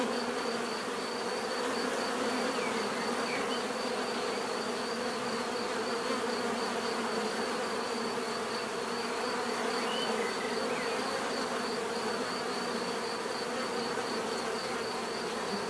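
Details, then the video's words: Continuous dense droning of many bees, an even layered hum that holds steady throughout, with faint high chirps in the background. "bees therapy relaxing natural buzzing sound"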